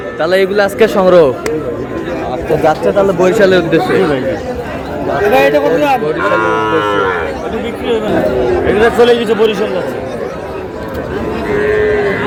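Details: Sahiwal bulls and heifer calves lowing on 19 August, as a Barisal farmer buys them: overlapping moos, a strong long one near the sixth second, mixed with steady crowd speech.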